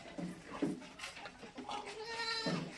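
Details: Goat on a farm in Maharashtra, India, where goats and chickens are raised together, one of the first goats of the herd; a wavering, harmonic bleat rises late in the clip, with a man talking nearby.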